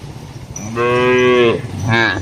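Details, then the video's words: Grazing cattle roaming among trees and grass in a large plantation: a sustained moo lasting most of a second, followed by a brief second moo, over low background rumble. "suara sapi"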